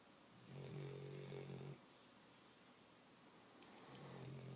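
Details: Pet dog sleeping on the couch next to its owner, snoring: one rumbling, nasal snore lasting just over a second, a quiet pause, then another low snore starting near the end.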